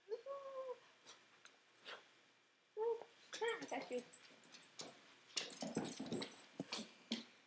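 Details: Almost-12-year-old pet dog acting like a puppy indoors: short high whimpering squeals with clear harmonics, one early and a cluster after a pause, mixed with a person talking and knocking thuds.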